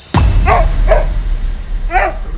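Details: Oscar, a new domestic dog near Jim Corbett village in India, barking at nightfall after a long spell of barking, possibly scenting a leopard or tiger: three sharp barks spaced unevenly after a loud knock at the start.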